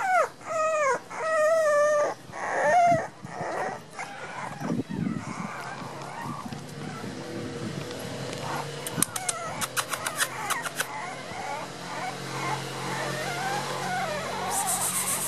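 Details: Miniature Pinscher puppies, born 6 November 2014 and 1 month 11 days old, in Los Teques, Venezuela; high rising-falling whimpers and squeals in the first three seconds, then quieter background noise with faint clicks.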